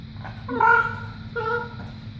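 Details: Male Boston Terrier making funny noises while trying to get his owners to play: two drawn-out, tonal whining calls with rich overtones, the first longer and rising slightly, the second shorter, over a low steady background hum.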